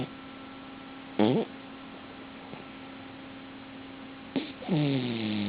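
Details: Cavalier King Charles Spaniel snoring in REM sleep with its eyes open: a short nasal, harmonic snort, then after a quiet pause a longer wavering, droning snore with bending overtones, over a steady faint low hum.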